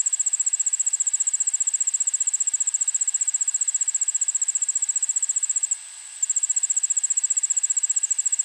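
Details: An Allard's ground cricket in a suburban backyard in Montoursville, PA, on an August 2016 afternoon, using a shotgun microphone: thin, high, rapidly pulsing trill holding steady for over five seconds, one brief pause, then continuing.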